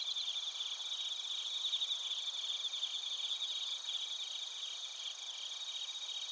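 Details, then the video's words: Bell crickets and other crickets recorded in Narita, Chiba Prefecture, Japan, with a TASCAM Portacapture X8: a dense, high-pitched chorus of rapid pulsed chirps with steady ringing trills layered above, continuous throughout. "スズムシとコオロギの鳴き声 - Chirping of crickets"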